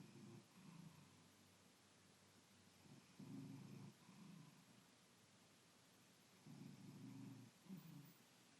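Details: Sleeping pet cat on a Saturday morning, snoring in quiet, low throaty rumbles that come in short bursts of one or two, separated by pauses of a few seconds.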